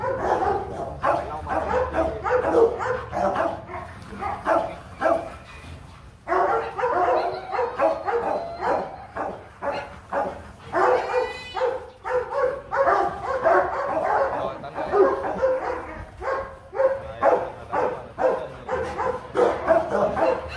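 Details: Rottweilers at a Vietnamese breeding kennel, where champion male Loki is mated with a female from Hưng Yên; a long run of short, rough barks comes in uneven bursts, with brief pauses between volleys.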